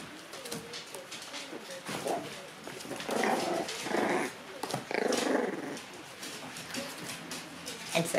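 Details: Play fight among three red Shiba Inu puppy brothers born 22 September: scattered growls build into two long, loud, rough snarling bursts in the middle, then trail off into softer grumbles and scuffles, with a person talking over them.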